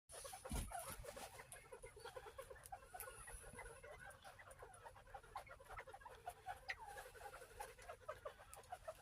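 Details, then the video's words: Northern bobwhite quail, a farm-kept group, making contented happy sounds. Many soft, short chirps and clucks overlap in steady, busy chatter, with a few louder notes standing out against a faint background hiss. "Bobwhite Quail Happy Sounds"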